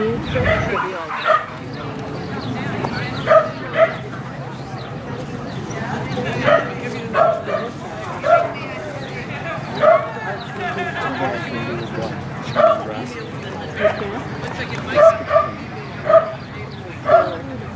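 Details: Norwich Terrier yipping in short, evenly spaced bursts roughly every second or two across the recording, with a constant low background hum.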